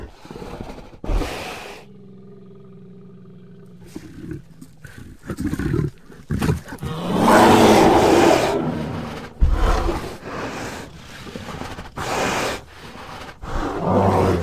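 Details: During an encounter in woods next to a house, a bear growls at the recordist: deep, rasping growls and roars in rough bursts, with a brief low hum early on.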